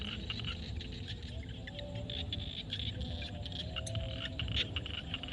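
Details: Frogs calling at sunset in a field in Cambodia, a dense chorus of rapid pulsed croaks and clicks layered over one another, with a steady low rumble underneath throughout.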